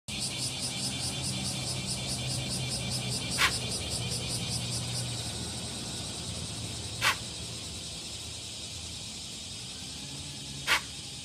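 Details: Deer giving a warning call to alert others to danger: three short, sharp, breathy blasts about three and a half seconds apart, set against a steady high insect buzz and a faint low hum.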